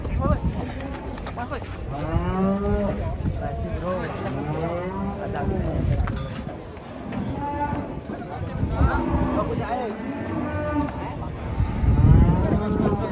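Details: Cattle at Jelok market in Indonesia, unloaded from a truck, a unique cow among them: repeated low, drawn-out harmonic moos rising and falling through the stretch, over background chatter, shouts and handling noise.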